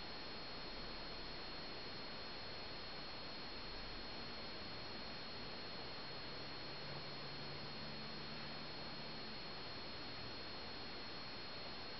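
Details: Constant broadband hiss with a low electrical hum and no animal sounds.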